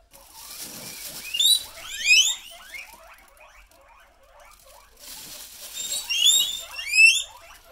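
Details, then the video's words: Several pet guinea pigs excited on hearing a plastic bag: loud, high, rising squealing wheeks in two bursts, with many softer repeated rising chirps between them. "These Pigs Go Crazy When They Hear A Plastic Bag"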